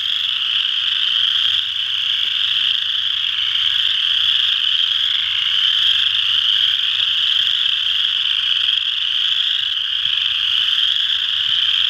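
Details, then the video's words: Massed chorus of western chorus frogs at Ojibway Park in Windsor, Ontario: continuous overlapping shrill trills merging into one steady wall of sound, with a soft low hum in the background. "Western Chorus Frogs"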